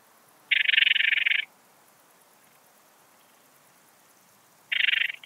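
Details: Song of an Eastern Alpine Bush-cricket (Anonconotus italoaustriacus), Heiligenblut, Austria, 4 September 2020. A rasping chain of fast ticks lasting about a second, then a long silence before a shorter burst starts near the end.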